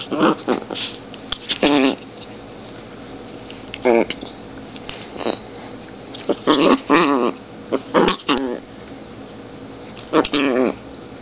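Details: A tiny long-haired female chihuahua, 2.7 lb, at play. She makes short growling and snarling bursts every one to two seconds against a quiet room background. A few brief bursts are separated by longer gaps.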